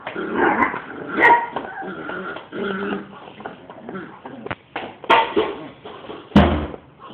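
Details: Belle, a three-month-old pet dog puppy, indoors: whiny whimpers and short yipping barks in uneven bursts, with a few sharp knocks and clatters between them.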